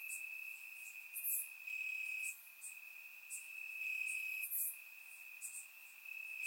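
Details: On a warm summer night in Bulgaria, crickets in the grass keep up a continuous high-pitched trill, overlaid by quick bright chirps that swell and fade in short bursts.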